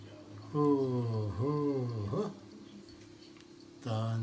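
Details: A Siamese cat named Duman gives a long, drawn-out, low meow that dips and rises, almost like a spoken word, said to sound like "anne" (Turkish for "mother").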